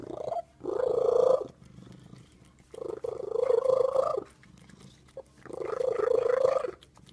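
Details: Cat uttering a terrible sound: three long, steady, nasal wails, each over a second, spaced about two seconds apart, in a quiet room.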